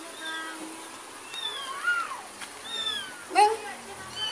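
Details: A mother cat follows as her kitten, given by a neighbour, is carried home and back to the neighbour's yard; a few drawn-out, downward-sliding meows sound against a steady background hiss.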